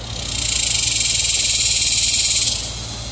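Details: Dog-day cicada scream: a loud, steady high-pitched buzzing drone that swells in over half a second, holds with a fine rapid pulsing, then fades out near the end.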